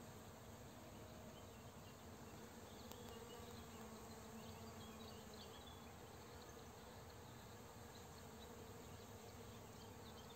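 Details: Foraging honey bees on rapeseed blossoms at about 4 pm, next to fields being sprayed by a farmer; an even, low-pitched swarm hum holds steady, with a brief faint higher tone midway.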